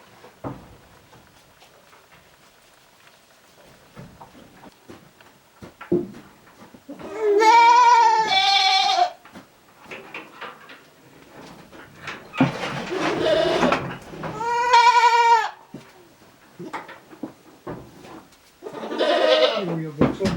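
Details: ['Shed-housed goats ruminating at a handmade goat farm in Japan on 29 January 2023; loud, drawn-out bleats with a trembling, quavering pitch, two long calls mid-way and another near the end, quiet rustling in between.']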